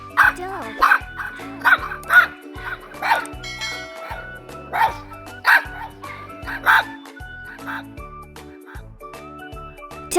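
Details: Dog barking in short, sharp barks spaced about half a second to a second apart, then thinning out, over steady children's background music with a low bass line.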